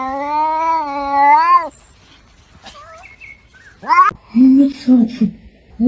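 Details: Domestic cat from a compilation of talking cats: a long, clear meow rising slightly then falling at the end. Short chirps follow, then a brief rising cry and human speech.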